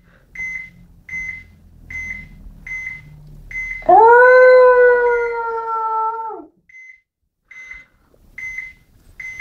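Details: Indoors, pet dog Sammy sings one long, steady howl of about two and a half seconds. It starts with a rising swoop and stays level, while a repeating high-pitched electronic beep continues before and after.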